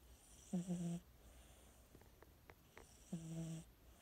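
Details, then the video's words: Domestic cat asleep and snoring, giving low, tonal, slightly wavering snores of about half a second, two in a row spaced some two and a half seconds apart, faint ticking noises in the quiet room between breaths. "Snoring 💤 kitty 🐱"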